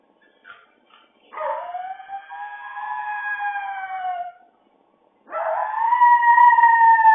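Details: Dog howling while left alone with nobody at home: two long, clear, tonal howls, the first lasting about three seconds and slowly sliding down, the second rising then holding steady, a short silence between them.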